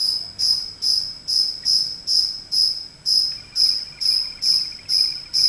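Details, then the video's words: A cricket that wandered indoors into a house chirps steadily, a high pulsing trill repeated roughly twice each second. "Cricket Chirping"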